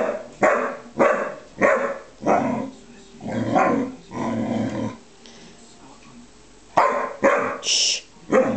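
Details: Bearcoat Shar-Pei and Tibetan Mastiff at play; a run of short, harsh barks and growly bursts roughly every half second, a pause, then a few more sharp barks near the end.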